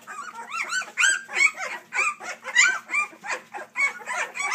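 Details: Several three-week-old puppies, Dixie crossed with Colby, squeal continuously in pulsing, arched whines that rise and fall several times a second, dense and overlapping throughout.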